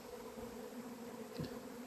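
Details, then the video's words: First honey bee swarm of 2026 at an apiary on 28 April: a steady, even hum with two clear low tones held throughout, and a brief soft bump near the end. "albinele mele au luat-o razna"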